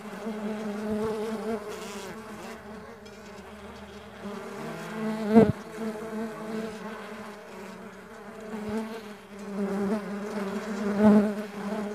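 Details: Farmed stingless bees droning in a steady, low, harmonic hum with wavering pitch as individuals come and go, interrupted by two sharp knocks or thumps.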